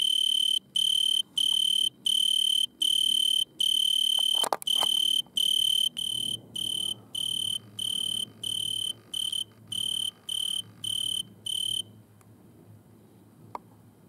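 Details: An Italian tree cricket stridulating in a butterfly bush at night, filmed under red lamplight, gives a pure, musical trill in evenly spaced bursts, each about half a second long.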